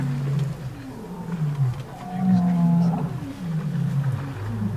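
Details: Wild lion roaring near a big waterhole at a safari lodge in the Kalahari, Botswana, June 2013. Deep, drawn-out moaning groans rise and fall with a low rumbling quality over faint background hiss.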